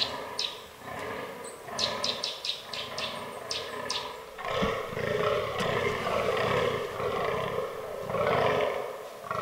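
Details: In an autumn forest during the rut, a fallow deer buck groans in rough, drawn-out belches, with a quick series of sharp clicks near the start.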